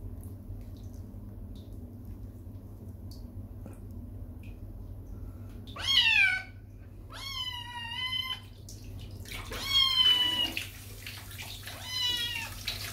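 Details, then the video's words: Kittens upset while being bathed after playing in mud on a lawn: a run of loud, wavering meows with rich harmonics, four or five drawn-out cries over several seconds, some rising then falling, above a steady low hum indoors. "In This Kitten's World, Bathtime is a Nightmare"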